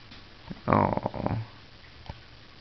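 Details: Cairn Terrier named Saphira, indoors, upset that her owner has gone to work: one short throaty grumbling whine lasting under a second, with a thin falling tone on top, then a brief soft snort in a quiet room.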